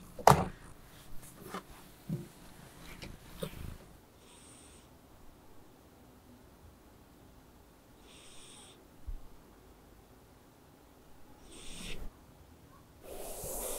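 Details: A female Ragdoll cat purrs with a soft, low, steady rumble in a quiet room while relaxing with treats, grooming and brushing.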